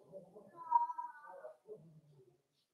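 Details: Whimper from one of the 4-week-old Cavalier King Charles Spaniel puppies in a home puppy pen on socializing and feeding day: a single drawn-out, steady whine lasting about a second, framed by soft low murmuring.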